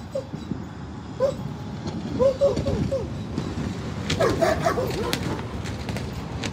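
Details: Siberian Huskies playing and swimming at a lake in a Colorado dog park on a road trip, giving repeated high arching whines and yips in two bursts, mixed with splashing and clattering noise and some human voices.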